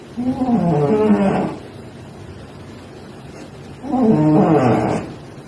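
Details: A cat snoring: two raspy, buzzy breaths, each lasting about a second and spaced roughly three and a half seconds apart, with quiet stretches between them.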